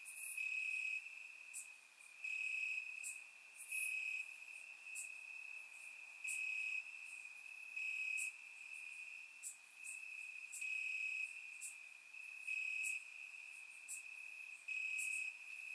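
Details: Crickets chirping in grass on a warm summer night in Bulgaria, recorded with a surround microphone: a steady high-pitched trill runs throughout, with brighter, louder bursts of high buzzy chirps pulsing in every second or two.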